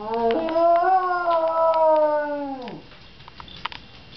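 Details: Mr. Buddy, a freshly groomed house dog near a fire station, howling in response to a fire truck. One long, steady howl is held for over two seconds, then sags sharply at the end. Faint clicks and rustles follow indoors.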